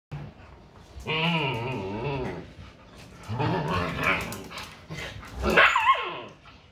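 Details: Siberian Husky mother disciplining her pups indoors: a long, wavering, tonal grumble rising and falling over about a second and a half, then a rougher throaty outburst, ending in a sharp higher yelp.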